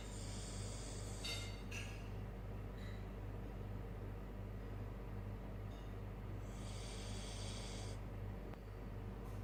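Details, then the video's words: Sleeping Siberian Husky named Sora giving two hissing, breathy snores several seconds apart against a constant low background drone. "Sora The Husky Snoring During Sleep"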